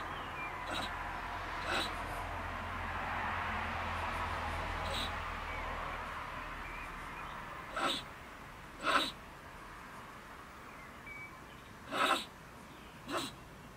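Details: A female stone marten living in a woodpile beside a shed in Germany gives harsh, explosive screeching bursts at irregular intervals around 10 pm, ranting after a person returned.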